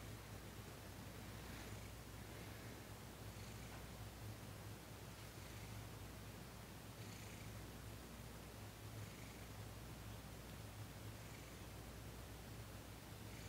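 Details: Domestic cat Thomas purring while receiving massage and Reiki, December 28, 2021; a deep continuous rumble pulses with each breath, louder phases about every two seconds, with faint airy hiss on each cycle.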